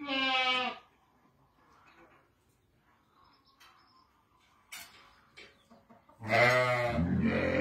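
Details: Seven ewes and a ram kept west of Ramallah, Palestine: a clear, quavering bleat opens, followed by quiet shuffling and clicks, then a second loud, harsh, sustained bleat runs to the end.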